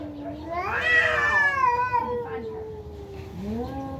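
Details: Cats in a fierce fight, one long wavering yowl that swells, bends upward, then slides down into a drawn-out moan before a short rising cry, with faint background noise.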